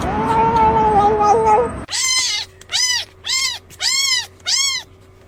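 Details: Domestic cat meowing: a drawn-out wavering tone opens, then five short arched meows come in quick succession, each rising and falling, spaced roughly half a second apart in a quiet room.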